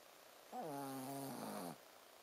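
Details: Shih Tzu named Ponzu snoring while asleep indoors, going 'buu, buu': one drawn-out nasal snore of about a second, low harmonic-rich buzzing with a faint hiss on top, in a quiet room.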